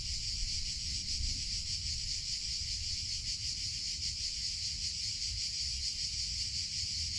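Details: Cicadas singing in summer: a continuous, dense, high-pitched buzzing drone that holds steady throughout with no breaks, with a low rumble of background noise underneath.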